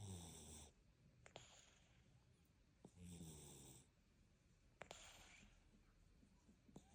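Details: Deep, buzzy snoring from a sleeping cat, three drawn-out rumbling breaths under a second each, spaced a couple of seconds apart, with faint clicks and hiss in the background.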